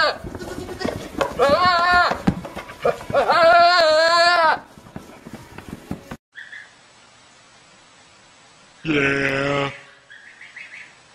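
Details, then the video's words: Goats screaming in a way likened to human screams: two loud, wavering, harmonic-rich cries in quick succession, then near silence, then a third, shorter, harsh scream. Faint background noise in between. "Funny Goats Screaming like Humans"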